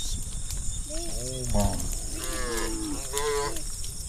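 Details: Herd of hundreds of tame cattle moving together along narrow village forest roads; overlapping low moos follow one after another, some wavering and rising in pitch, over a constant rumbling background.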